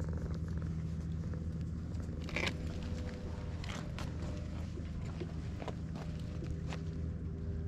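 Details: Stray cats meeting for the first time on a cat island, captured with a GoPro HERO8; a constant low droning purr runs beneath sharp clicks and brief rustling, including a louder scrape around 2.4 seconds.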